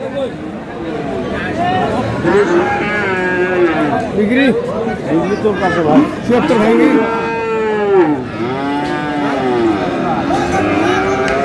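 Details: Many cattle lowing at Aftabganj livestock market, Dinajpur, where Friesian and crossbred bull calves are traded on 22 July; repeated arching moos overlap one another through the clip, with busy crowd talk behind.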